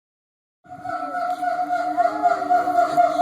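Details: A steady droning tone with strong harmonics, like an engine or electronic hum, with no animal voice. It starts after a short silence and holds its pitch to the end.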